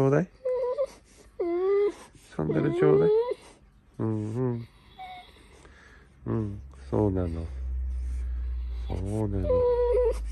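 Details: A Golden Retriever "talking" in the morning: alternating high wavering whines and deeper gargling grumbles in quick bursts, then a steady low hum underneath a final drawn-out whine.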